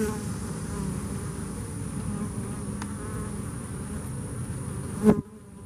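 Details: Buzzing of bees that came through Hurricane Harvey: an even, low droning mass of wingbeats, ending with a sharp click and a sudden drop in level.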